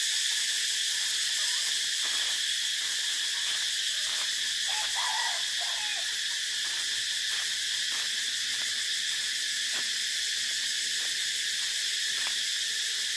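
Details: Continuous shrill cicada drone holding level throughout, a hissing high whine with occasional soft ticks and a brief faint chirp partway through.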